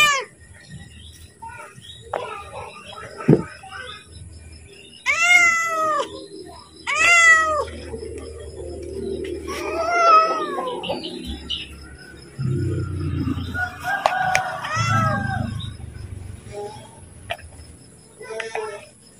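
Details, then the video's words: Pet cat calling for food just before being fed, giving a series of loud, drawn-out, arching meows, two in quick succession then several more, over a low murmur and faint background hum. "Suara Kucing Memanggil / minta makan"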